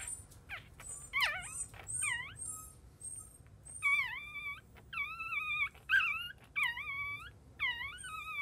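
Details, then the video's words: Chihuahua puppy, newborn and only just born, crying in wavering high whines with dipping, bending pitch, repeated roughly every second, over a low steady hum and a few faint high chirps. "Chihuahua Newborn Puppy After Birth"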